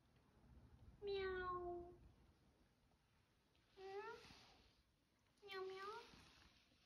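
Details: A kitten giving its first meows indoors: three clear, drawn-out mews roughly two seconds apart, each a slightly falling tone with rich overtones, the last two rising then dipping, over a quiet room background.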